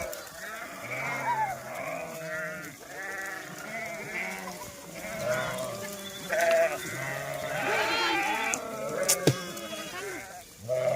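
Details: Herd of goats taken out to graze in Dhangar herding life: continuous chorus of overlapping bleats, many short and wavering, some higher and strained, rising and falling in loudness, with occasional clatter.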